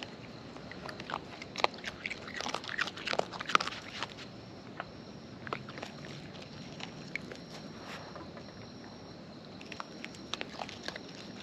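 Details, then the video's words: Wild raccoons filmed close up while eating: crisp, irregular crunching and biting clicks, clustered between the second and fourth seconds and then sparser, over a quiet outdoor background with a faint steady high tone. "Wild Raccoons & ASMR Chewing Sounds"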